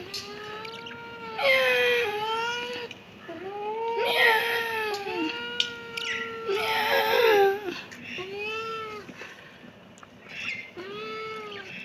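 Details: Repeated kitten meows come in quick succession, some overlapping. They are arched, wavering and sometimes strained or crying in tone, with a few louder, rougher bursts among the steadier tonal calls.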